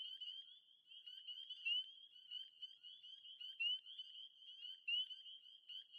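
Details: Spring peepers, tiny chorus frogs at Cape Cod vernal pools, call on a late-spring evening in a thick chorus of short, high, piping peeps merging into a steady, shimmering ring with louder peeps rising above.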